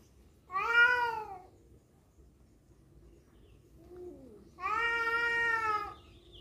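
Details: Two cats squabbling over a female: a short bent yowl, a soft low moan, then a steadier sustained caterwaul of about a second and a half, rich in harmonics.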